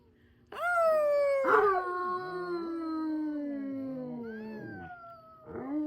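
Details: Siberian Husky pack howling together at the start of 2025, a mother with her puppies among them: long sliding howls that start high and drift slowly downward, several voices overlapping, with brief higher yelps near the end.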